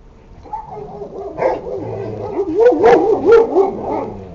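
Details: Sarplaninac puppies from the pairing of Lun od Bjelica and Tara od Bjelica: wavering, whining yelps rising and falling in pitch, building into a quick run of high, nasal yips toward the end, with faint background rustle.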